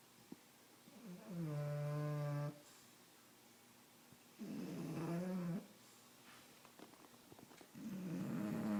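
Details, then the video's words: Bulldog asleep on a couch indoors, snoring in long low rumbling breaths about a second long, separated by quiet pauses, three snores heard in a small quiet room. "Un bulldog ronfle sur le divan"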